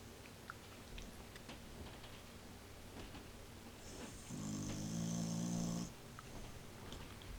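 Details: Sleeping elderly cocker spaniel snoring very loudly inside a house: faint breathing and small clicks, then a single loud, buzzing, rattly snore of about a second and a half with a breathy hiss on top, fading back to quiet.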